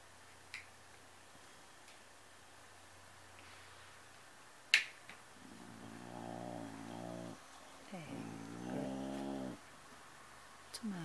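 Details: Domestic cat growling indoors while guarding a Kleenex tissue: two long, low, rumbling harmonic growls of about one and a half seconds each, separated by a short pause, with a few faint clicks in a quiet room.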